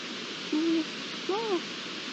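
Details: Iberian lynx from a pair, giving two short clear tonal calls, the first level and the second arching up then down, over steady background hiss.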